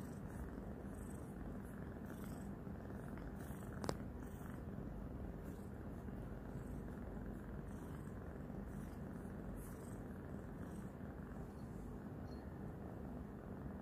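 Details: Loud, steady purring from Roxa, a newly adopted kitty still shy of noises, as she licks and bites her owner's hand; an even low rumble throughout with one sharp click near the middle.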